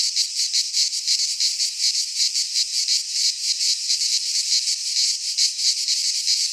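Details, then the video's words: Cicadas singing in a Greek pine forest in midsummer: a dense, shrill, high buzzing that throbs in quick uneven pulses, with no other sounds. "Cicadas singing in midsummer - Nature sounds from the Greek fauna - Sounds of cicadas"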